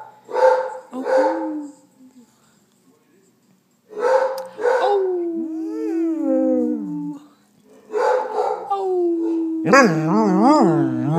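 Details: Basset Hound howling and talking indoors while another dog barks at a hot water heater; paired barks, then long wavering tonal howls that slide and warble, the last one loud and undulating.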